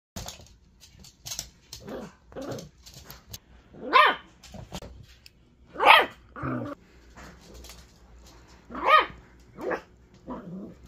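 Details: A puppy gives sharp, yapping barks at irregular intervals, about five louder ones among softer whines and squeaks, some followed by brief low growly grunts.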